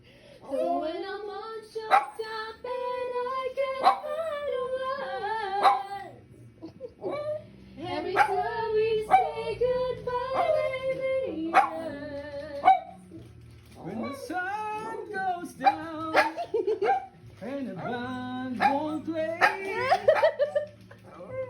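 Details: Pet dog singing along with its family: wavering, drawn-out tonal howls that rise and fall in long phrases, mixed with people singing and brief breaks between bouts.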